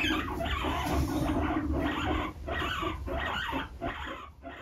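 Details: A baby guinea pig is driven out of a hammock by another guinea pig defending it, with rough, repeated chuttering bursts, several each second, and brief pauses between runs.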